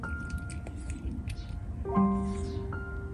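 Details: Bright chime and glockenspiel-like tones ring over soft background music, with sustained notes and a low rumble underneath; no animal voice is heard.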